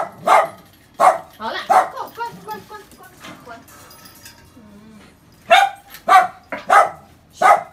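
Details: White Shiba Inu in Taiwan scolding a visitor who entered the home; loud sharp barks come in clusters at the start and again near the end, with quieter whining and talking between them.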